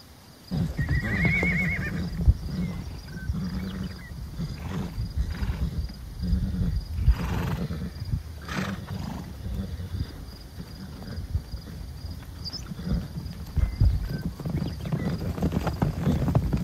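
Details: Wild horse herd of stallions and mares in Wyoming, USA: one wavering, quavering whinny early on, about a second long, over steady low rumbling wind or ground noise with scattered soft thumps and snorts.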